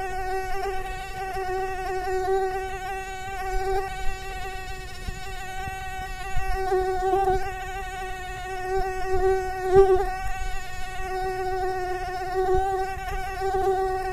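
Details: Mosquito buzzing in continuous flight, a sustained nasal whine that swells and fades every few seconds as the insect moves closer and farther away.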